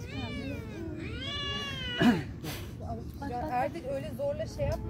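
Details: Fed street cats quarrel as a kitten gives a long, sliding, high-pitched wail over the first two seconds, followed by a sharp burst of noise and then Turkish speech with faint cat cries.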